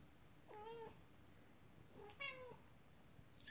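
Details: Mother cat upset while her kittens play with their first toy, a horse-drawn carriage, indoors; two fairly faint, lower-pitched drawn-out meows about a second and a half apart, then a short high squeak at the end.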